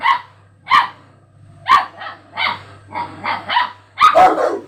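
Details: Pet dogs react to a strange sound played in front of them, giving a series of sharp barks, about eight across a few seconds, irregularly spaced, the last ones overlapping into a rough, growly burst.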